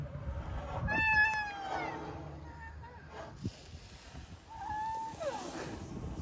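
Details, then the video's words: Moaning from rhino calves, led by Bula lying down with Thaba standing over him for attention before the rest of the calves join. Thin, high tonal whines bend upward and downward in short bursts against a soft, noisy background. "A moaning chorus of rhino calves"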